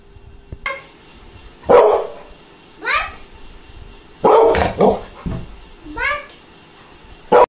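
A Labrador gives a few short, sharp barks spaced a couple of seconds apart, mixed with a person's voice and a faint steady high-pitched hum.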